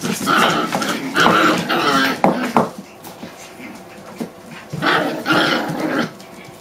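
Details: Six-week-old puppies indoors, trading harsh play growls and sharp little barks in two loud bursts about three seconds apart, separated by quieter grumbles and scuffling.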